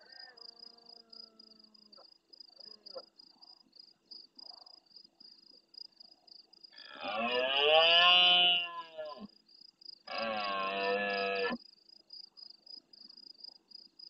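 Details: Large red deer stag in the Doñana National Park marsh at El Rocío, Andalucía, Spain, roaring hard at nightfall close to a fixed camera, answering more distant stags: two deep, harsh roars, a long one then a shorter one, over steady pulsing insect chirps.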